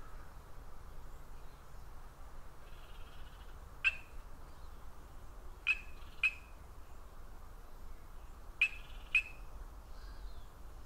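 An Ndola reed frog gives sharp, high clicks, often in quick pairs, several seconds apart.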